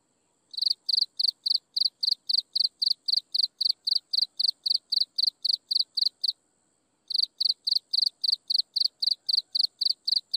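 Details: At sunset an insect chirps steadily in sharp, high pulsed bursts about four per second, falls silent for under a second near the middle, then picks up the same regular beat again.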